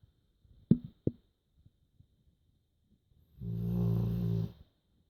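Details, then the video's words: Joschi, a sleeping dog, snoring indoors: after two sharp clicks and quiet, one long, low, rumbling, buzzy snore lasts just over a second near the end. "Lustig Hund schnarcht"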